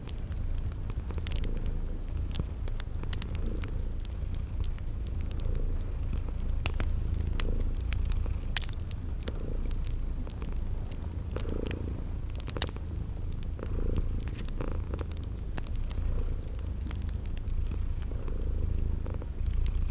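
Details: Sleeping kitties purring in a low, steady rumble beside a crackling fireplace, in a spring garden ambience; crickets chirp high and regularly, about once a second, over sharp fire crackles.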